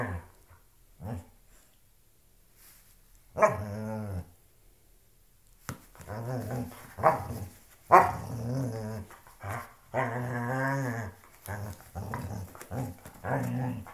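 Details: Loki the dog growling while playing with a shoe, long rough rumbling growls that swell and fade, mixed with a few yelping barks, louder and more continuous in the second half.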